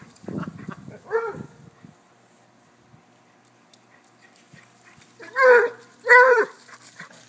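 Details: Cocker-hound dog, Basset and corgi playing chase: a pair of short barks, a quiet pause, then two louder, harmonic barks about a second apart, with a brief low human voice at the start.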